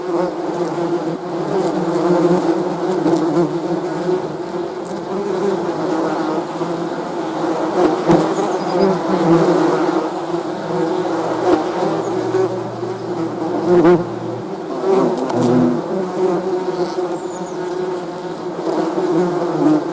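Honey bees fill the air with a dense, steady hum of many buzzing wings.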